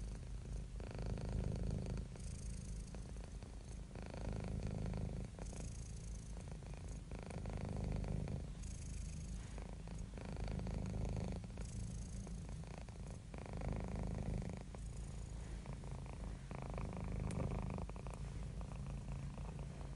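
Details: Happy, relaxed domestic cat purring continuously: a rich low rumble that rises and falls in regular waves roughly every two to three seconds, following the breath, calm and unbroken throughout.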